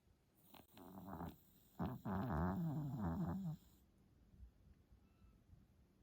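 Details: Ten-month-old Pomeranian snoring while asleep after earlier reverse sneezing, making low rattling, rhythmic snores in two bursts, the second longer at about three per second, then quiet breathing.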